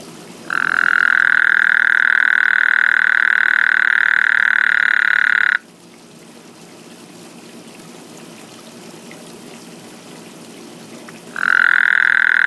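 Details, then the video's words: A frog in a backyard gives a loud, steady, buzzing trill, croaking or burping, lasting about five seconds, then starts again after a pause; it keeps people awake at night. "Frog Croaking/Burping in Backyard"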